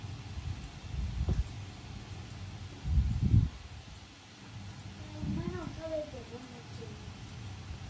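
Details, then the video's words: Pet Norwegian Forest Cat giving a cute meow as it hugs a person; after low bumps and rustles, one wavering, bending meow rises and then trails off in short falling notes near the end. "可愛く鳴きながら抱きつく猫 ノルウェージャンフォレストキャット A cat meowing cutely and hugging you. Norwegian Forest Cat."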